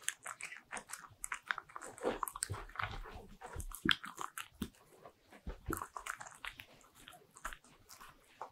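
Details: Bichon Frise dog crunching butter-ring cookies in a small room, dense crackling bites and mouth clicks continuing without pause, occasional stronger crunches rising above the chewing.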